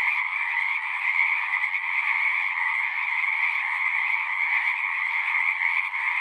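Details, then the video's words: Frogs singing together in a natural setting: a dense, unbroken chorus of shrill trilling croaks in two steady bands, one mid-pitched and one higher, holding even loudness throughout with no other sounds. "One hour of singing frogs."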